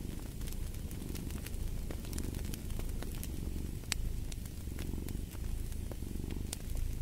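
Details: Purring cat, deep throbbing rumble rising and falling with its breathing, steady over seven seconds, while a fireplace crackles with sharp intermittent snaps.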